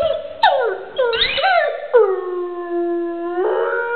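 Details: A pet dog that loves its toy howls in short wavering bursts, then a long drawn-out howl held at one low pitch for about a second and a half, ending in a rising lift.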